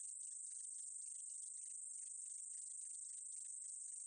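A meadow katydid's call is a thin, continuous, very high-pitched hiss. Faint ticking flecks sit below it in a loose, rapid rhythm, and the whole buzz holds steady without pause.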